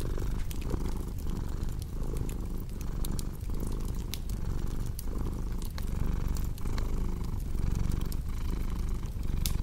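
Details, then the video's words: Purring cat, deep continuous rumble swelling and easing in even breath cycles about every 0.6 seconds, with bright snapping crackles of a fireplace scattered on top throughout. "Purring Cat with Cozy Crackling Fireplace Sound"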